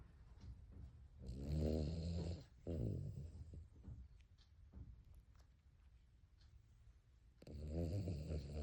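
A Cavalier King Charles Spaniel snores in loud, rough, low rumbles with quieter breaths between.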